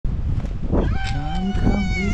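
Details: Whisskas, a fluffy female tabby cat, gives one drawn-out, low, steady meow that rises slightly near its end, with a low rumbling background throughout.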